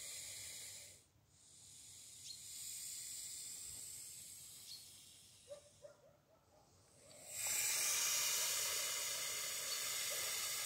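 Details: Long airy hisses from a grumpy snake found while walking the dog one morning, with quieter gaps and a few soft clicks before a loud, sustained final hiss.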